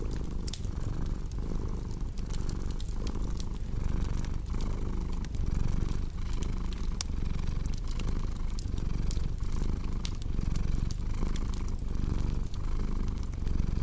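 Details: A cat purrs in a deep, even rumble with a rhythmic in-and-out pulse less than a second apart, while a fireplace crackles and pops throughout.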